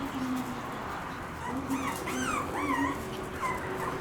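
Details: Shiba Inu mothers with their puppies, four mother-and-puppy pairs together: a string of thin, high, arching whimpers, each rising then falling, bunched in the second half over a steady low hum and soft background noise.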